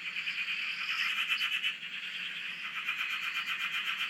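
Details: Frogs calling together at a dam in Australia, recorded from a shack beside the water: a dense, steady wall of fast buzzing pulses with a brief higher trill near the start, unbroken for the whole stretch.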